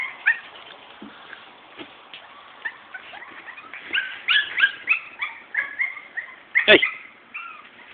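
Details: Morkie pups from a Maltese mother, Soapy, and a Yorkie-mix father, Max, making soft, then louder, high bent whines and squeaks, with a sharp knock partway through.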